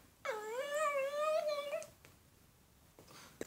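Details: Andro, a Shih Tzu, performing tricks on command indoors, gives one drawn-out tonal whine. It rises, then holds a wavering, fairly high note for about a second and a half, and a quiet room follows.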